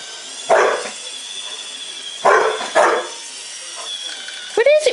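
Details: Samoyed dog confronting a robot vacuum cleaner indoors: three short, rough barks, the last two close together, then a brief rising-and-falling whine at the end, over a steady mechanical hum.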